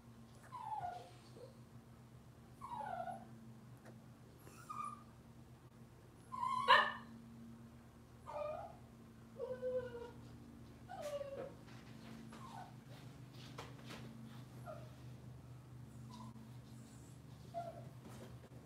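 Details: Cavalier King Charles Spaniel puppies of Robin's litter on an indoor kitchen livestream, whimpering softly: short, thin rising squeaks repeated about every one to two seconds, some doubled, over a steady low electrical hum and faint knocks.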